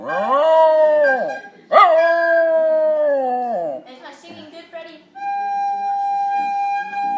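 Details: A dog sings along to a badly played flute, howling in long, rich, wavering notes that sag at the end, followed by a steady flute tone.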